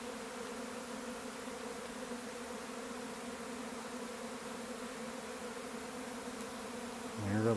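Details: A honey bee swarm leaving its hive and taking flight: a dense, steady drone of countless bees, a low hum thick with overlapping wingbeats.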